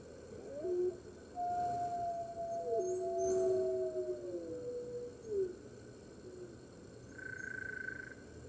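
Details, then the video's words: Red wolves at the NY Wolf Conservation Center howl along with the center's other wolves on the morning of 15 March 2013, recorded from a webcam. Layered howls overlap in a chorus, some long and level, others dipping and bending, followed by a fainter higher tone. "Red Wolves Howling - Early Morning"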